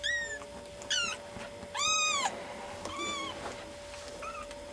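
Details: Two cats wandering around a bed indoors; a run of short, high, arching meows, about five calls in under five seconds, the loudest near the middle, with a steady faint hum underneath.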